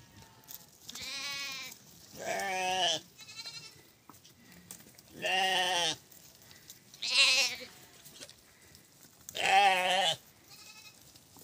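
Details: White goat in snow, a hardy animal of a harsh climate, bleating loudly: five strong harmonic, wavering bleats about every two seconds, each near a second long, with quieter bleats and soft rustling between.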